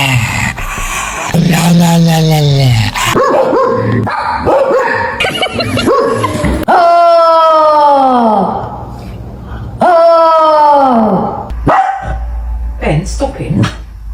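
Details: A pet dog making strange noises: long, wavering yodel-like whines that rise and then fall, several drawn-out sweeps with rich overtones, separated by short gaps with a few brief yips and rustling.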